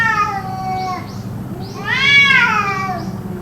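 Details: Endless cat cries, perhaps a fight, kept up for roughly two hours: a fading drawn-out wail followed by a strong rising then falling howl, rich in harmonics, with faint soft squeaks behind.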